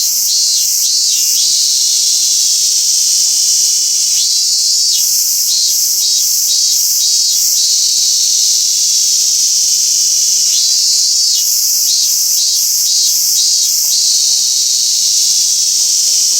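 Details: Robust cicada song in Toyanogata Park. Three bouts of rapid, evenly pulsed phrases rise out of a continuous high insect drone. Each bout lasts two to three seconds, with quieter gaps between them.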